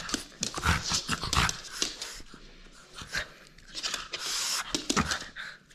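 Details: French Bulldog playing and refusing to give up its toy: a run of sharp, breathy snorts and huffing pants in quick irregular bursts, some louder puffs standing out, with quieter gaps between.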